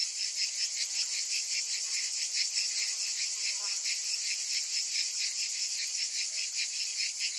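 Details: A summer chorus of cicadas forms an unbroken, high-pitched metallic buzz, finely pulsed at a fast, even rate and steady in loudness throughout.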